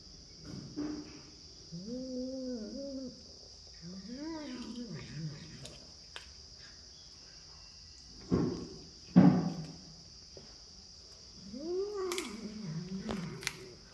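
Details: Pet cat making a run of wavering, bending meows, some rising and falling twice, with sharp clicks and knocks between calls and a faint steady whine in the background.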